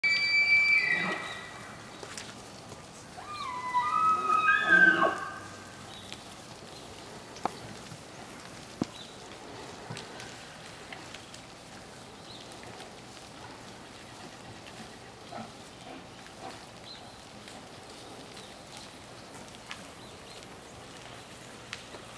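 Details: Bull elk in the rut, bugling while raking grass with his antlers in a west yard: high whistled squeals with sliding overtones near the start and again around four to five seconds, then quiet rural background.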